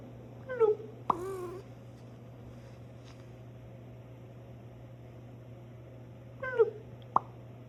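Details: Cat giving strange sounds: a chirping, wavering call with stacked overtones, followed by a brief noisy burst, then silence before a second similar chirp and a click, over a constant low electrical hum.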